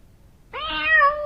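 A cat gives one drawn-out, mid-pitched meow that holds steady for nearly a second, after a brief quiet start with only faint low background hum.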